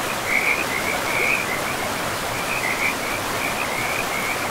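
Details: Several short bursts of high, rattling frog trills, separated by brief gaps, from a pristine forest with moss-covered ground. They sound fainter against a loud, steady wash of river water.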